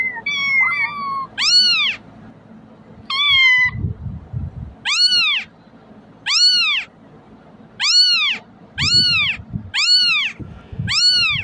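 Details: Crying kitten for calling cats to come: a couple of thin, level, wobbling squeals open the recording, then a run of loud, arched meows roughly every second, with faint low noise underneath.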